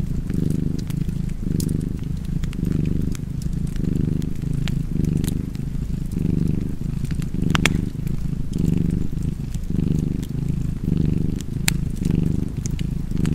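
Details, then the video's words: Cozy purring from a cat by a crackling fire: a continuous deep rumble that swells and eases with each breath, around a dozen cycles, overlaid by frequent snapping wood pops. "Cozy Purring Cat ASMR"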